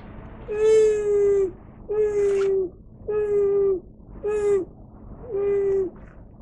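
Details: White-handed gibbon named Shiromati at Kyoto City Zoo, on the zoo's closed day, 11 March 2024, calling 'fuu, fuu' at a touch monitor through a fence, as once done to earn apple pieces. Five steady, slightly falling tonal hoots, about one per second.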